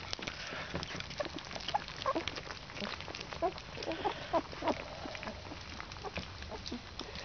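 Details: Fourteen-day-old Alaskan Malamute puppies at a kennel squeak while they eat: a run of short, high, thin squeals spaced irregularly over a few seconds against steady slurping and lapping.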